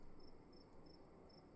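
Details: Cricket in a dark room at night: four evenly spaced, slightly drawn-out high chirps over about a second and a half, with a muffled low background hum.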